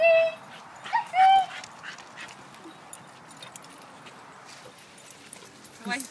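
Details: Dogs on a pack walk on Wimbledon Common, among them Staffordshire bull terrier cross Huskies and a German Shepherd cross, out swimming: loud high, tonal whines with rich overtones over the first second and a half, then quieter rustling and faint voices.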